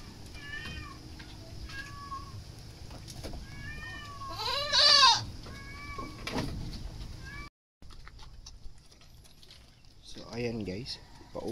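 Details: Goats during wet feeding on azolla give several wavering, quavering bleats, one loud and strained in the middle. A softer bleat follows after a brief gap, over a steady background hiss.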